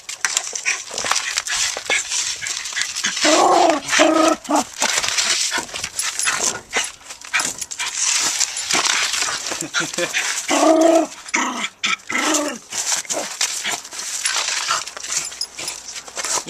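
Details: Pet dog Jackson, busy with his brick in the backyard, makes brief bursts of tonal growling and whimpering between long stretches of scraping and rustling, while a person talks and calls to him.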